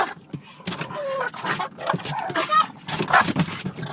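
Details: Two Boston Terriers attacking a car's rear window wiper give rapid, excited barks and snarling yaps in quick, uneven bursts.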